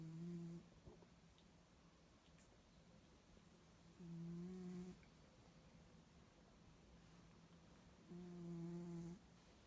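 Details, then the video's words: Snoring Bengal cat in a small room, a noisy sleeper: three steady low humming snores, each about half a second to a second long, evenly spaced roughly four seconds apart over a quiet background. "Snoring Bengal Cat - noisy awake and noisy asleep"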